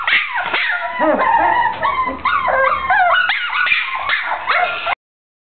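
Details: Short-haired brown teckel dachshund vocalising in a dense stream of shrill yips mixed with drawn-out whimpering and howl-like wavering notes, steady and loud for about five seconds before stopping abruptly.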